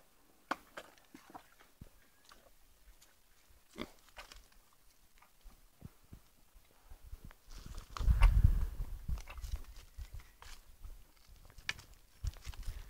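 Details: Kunekune pigs sharing a bath. Deep, low grunts and snorts come in rapid irregular runs, swelling into a louder, denser burst of grunting past the middle, with scattered clicks and knocks throughout.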